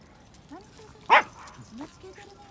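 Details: Young female Pembroke Welsh Corgi, born 8 July 2015, pesters another dog to play, giving one short, sharp yip-like bark amid quiet indoor background and a few faint squeaks.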